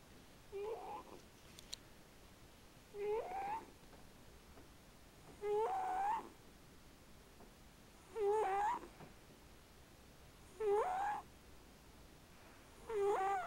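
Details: Sleeping cat snoring softly indoors: a squeaky, whistling nasal tone that rises and wavers on each breath, about every two and a half seconds, six times, quiet between breaths.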